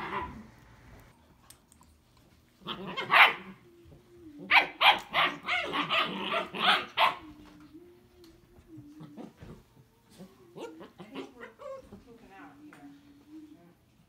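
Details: Squabbling German Shepherd puppies let out quick, clustered yaps and barks, loudest in a run mid-way, then scattered yelps, over a steady musical tone and faint voices.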